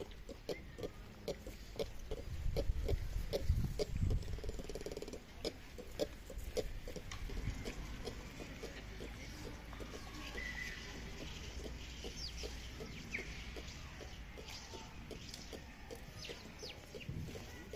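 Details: Ring-tailed lemur (Lemur catta) kept at Tierpark Ströhen produces repeated short grunting clicks, roughly two per second, with scattered faint higher squeaks and low rumbling noise in the background.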